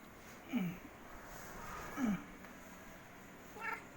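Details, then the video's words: A cat gives three short, low meows that slide downward, spaced about one and a half seconds apart, over a quiet, steady background hiss. "si meow meow"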